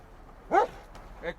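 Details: Search and rescue dog working at a rubble search, barking as the second dog to confirm a person is present below; one short harmonic bark followed by a fainter second bark, with low background noise.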